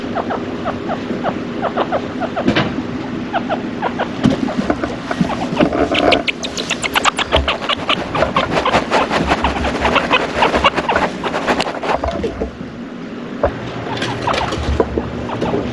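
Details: A male chinchilla, grey (cinnamon), born September 2015, a father, calls with rapid bursts of short, squeaky chattering pulses over a steady low hum.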